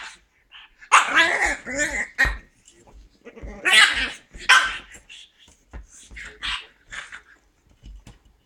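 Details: Marley, a pug puppy playing with a can of beer, gives two bursts of strained, wavering whines and yelps around the first and fourth seconds, then softer scattered grunts and small knocks as the play continues.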